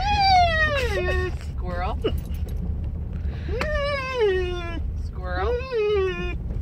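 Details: Maggie, a pet dog, vocalizes in excitement at squirrels: drawn-out tonal whines gliding downward from high to lower pitch, three long notes with short breaks, over a low background rumble.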